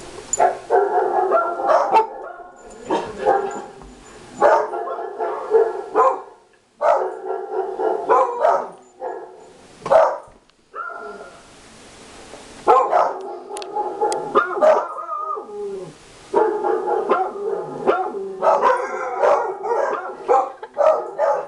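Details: Three family dogs, including a beagle, reacting at home to a played recording of barking dogs; repeated bursts of loud, tonal barks and yowls with brief pauses throughout, some calls sliding in pitch.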